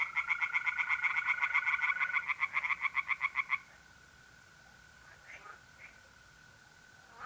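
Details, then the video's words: Tree frogs sing from a pond on an April night in North-East Italy: rapid, regular pulsed croaks for about three and a half seconds, then stop. A steady, even trill of mole crickets continues underneath throughout. "relaxing singing tree frogs in pond"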